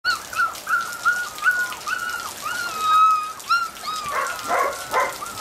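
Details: Border Collie puppies, black-and-white and blue merle, born 25 September 2013, whine in a string of thin, arched, whistled notes, some long and level, with a brief scuffling burst near the end.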